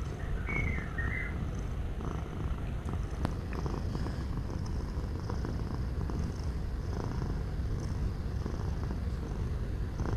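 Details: Domestic cat purring, a relaxing sound: steady low rumbling throb that fills the whole stretch, with a brief faint chirping twitter from a bird early on and soft clicks in the background.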